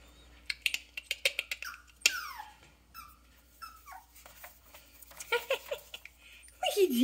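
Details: Yorkshire Terrier puppies born 24 April 2021, giving thin whimpers that slide downward in pitch, scattered among short clicks and taps, with a louder wavering whine at the end.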